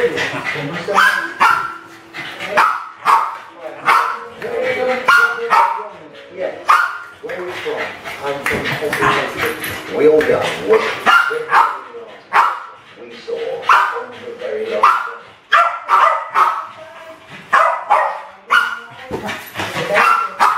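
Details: Two West Highland White Terriers at play with balloons indoors in a kitchen, 2012. Dense, overlapping barks and yaps come thick and fast, with balloon rustling and human voices mixed in behind the dogs.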